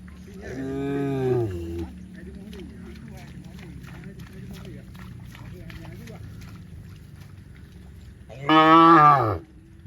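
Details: Cows in a field give two loud, drawn-out moos with rich harmonics, separated by a quiet stretch of low background hum.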